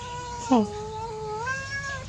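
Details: Hungry stray kittens crying while being fed: one long, drawn-out meow lasting nearly two seconds, with a sharp accent at the start, then a steady tone that lifts slightly near the end, over low background rumble.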